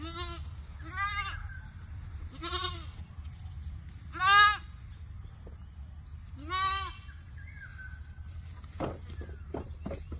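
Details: Goat eating grass, giving four wavering, nasal bleats spaced about one and a half to two seconds apart, the third loudest, over a steady high-pitched hum and low background rumble, with a few faint clicks near the end.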